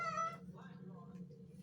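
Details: Domestic cat meow in a home with a noise problem: one short, bright, harmonic meow at the very start, then a steady low hum and faint voices.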